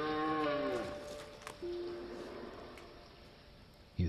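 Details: A red deer gives a deep, drawn-out roar that sags in pitch before trailing off, heard in forest as it gets dark at the end of September; females grow very wary.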